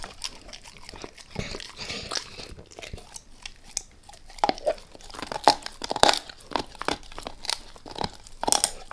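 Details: Max the dog gnaws a beef rib indoors, sharp crunches and wet bites coming in irregular bursts, sparse at first and then louder and denser toward the end, in a quiet small room with no talking.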